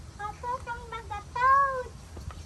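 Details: Young calves in a crowded pen call for their mothers with a 'ma-ma' cry; a quick run of short bleats is followed by one longer, rising-then-falling bleat, with low rumbling background noise.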